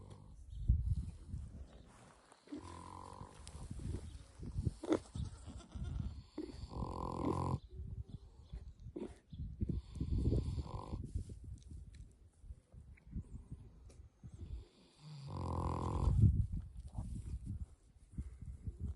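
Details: Pickles, a pet pig, asleep and snoring: steady low rumbling breaths punctuated by louder, nasal snorting bursts around 3, 7, 11 and 16 seconds.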